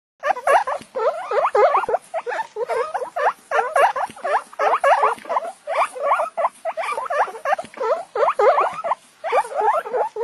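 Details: Guinea pigs eating watermelon wheek and squeak in a steady stream of high, squeaky, rising-and-falling whistles.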